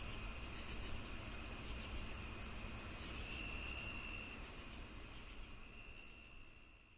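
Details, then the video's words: Cricket chirps on a summer night, bright short pulses repeating about twice a second against a steady high trill and a fainter sustained tone, the whole chorus fading gradually toward the end. "cricket on a summer night | Cricket sound effects"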